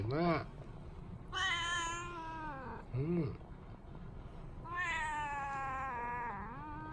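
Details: Tabby cat wandering about indoors, giving a homecoming greeting to the returning owner; short rising-falling meows alternate with long, bright, sustained drawn-out meows that waver and slide down at the end, over gentle background music.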